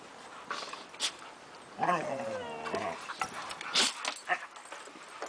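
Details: Frisky play among Siberian Husky puppies, five months old, with adult dogs Gibson and Harley, summer 2008. A wavering, bending vocal moan rises and falls for about a second, framed by thuds, scuffles and sharp bursts of noise.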